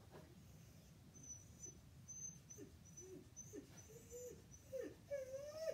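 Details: Max, a Siberian Husky reacting to a coyote on television, utters brief, bending whimpers about once a second that swell into a drawn-out, rising, howl-like wail; a thin, high electronic tone comes and goes in the background.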